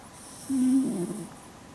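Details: Female red Shiba Inu sleeping soundly on her back indoors, snoring: one low, steady, nasal hum lasting under a second, breaking into a rougher rattle at its end, over faint background hiss.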